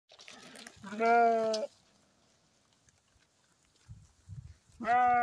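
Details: Sheep and lamb in the morning: two loud, wavering bleats, each under a second long, with a long quiet gap between them and a few soft low thuds.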